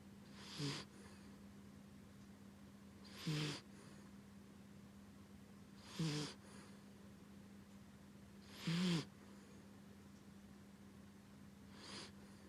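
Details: Rescue dog named Chibi snoring while asleep: short snorts roughly every two and a half to three seconds, each a brief rough burst with a low core, over a steady low hum and quiet room background.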